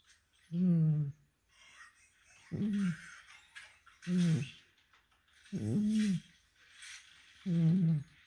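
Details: A cat snoring like a person: deep, voiced, humming snores with a wavering tone, coming roughly every two seconds, five in a row, each about half a second to a second long, with soft breathy hiss between them.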